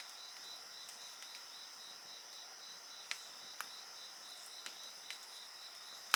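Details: Bonfire pops punctuate an even, high insect chorus, with layered trills and one fast pulsing buzz sustained throughout; the crackles grow louder, ending in a strong snap.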